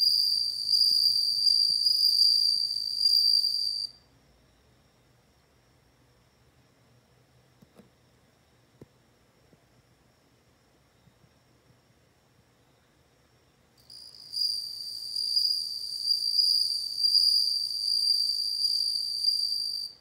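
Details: Bell cricket song: a high, pure ringing trill with faint overtones, heard in two long bursts of about four and six seconds separated by roughly ten seconds of near silence.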